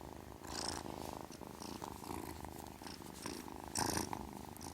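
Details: Kitten purring: a steady, rapid pulsing rumble throughout, with brief bursts of higher rustling or scratching noise near the start and toward the end.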